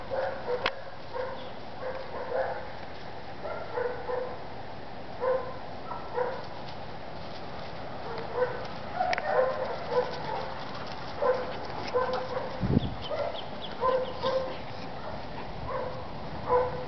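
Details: Adult German Shepherds during socializing give short, high, tonal whines and yips, scattered irregularly and often in quick pairs, over a constant broad background hiss.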